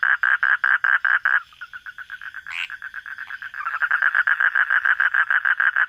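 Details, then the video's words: Frog heard at night during a nocturnal search: rapid pulsed calls that break off after about 1.4 seconds into a quieter, faster trill, with one brief higher chirp, then loud regular pulses resume and build to the end. "hunting for frog sounds at night"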